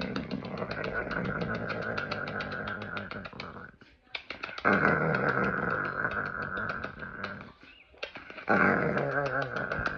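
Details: Dog in Italy, recorded May 31, 2022, making funny noises while its owner gives it kisses: long, throaty, pulsing groans and grumbles sustained for several seconds, broken by two short pauses, in a small indoor space.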